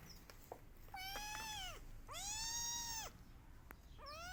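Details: Kittens crying and meowing loudly as they search for their mother: two long, clear drawn-out meows rising then falling, with a third starting at the end, separated by brief pauses and faint clicks.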